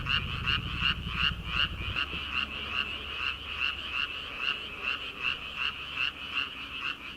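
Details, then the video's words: Frogs calling together from rice paddies at the start of summer, before rice transplanting. Rapid, regular croaking pulses around two to three a second, with a low hum that fades after the first two seconds. "초 여름 개구리 울음소리/ 논에서 들리는 개구리 소리"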